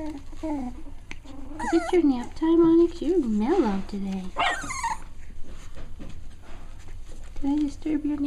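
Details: Cavalier King Charles Spaniel puppies, six weeks old, playing together indoors: drawn-out wavering whines and yelps, a few rising and falling, with a brief burst of human talk in the middle.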